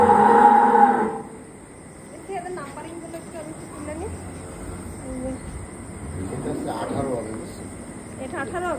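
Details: Cattle in a group of 18 kept with 3 goats ahead of the Eid al-Adha 2025 sacrifice, being numbered by people. A loud, harmonic, one-second moo opens the recording, followed by men talking.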